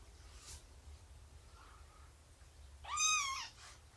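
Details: A cat from Shelby's rescued family, the two-year-old mother and her three-month-old kittens, during morning nursing and play. One bright, arching meow sounds over a quiet indoor hum, with a faint murmur before it.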